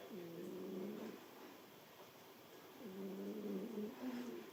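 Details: Cat snoring while sleeping squeezed into a cramped spot, holding its place against another cat trying to push it out; two drawn-out, low, droning snore breaths, each about a second long, spaced nearly three seconds apart, over quiet room hiss.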